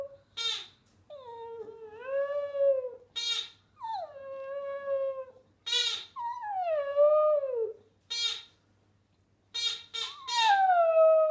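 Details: Hamish the Border Terrier sings in a string of short yips followed by sliding, wavering howls that dip and rise, with brief silences between phrases indoors.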